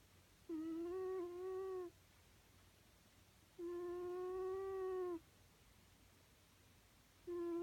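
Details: Sleeping cat snoring, each breath giving a soft whistle-like hum about one and a half seconds long, repeated roughly every three seconds in a quiet indoor room.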